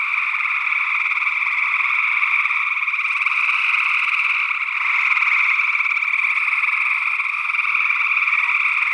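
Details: A steady chorus of gray tree frogs trilling together, recorded in early June 2022 in Northwest Wisconsin through SE Electronics sE8 condensers in ORTF. Many voices overlap into one constant wall of sound, with another unidentified frog species also present.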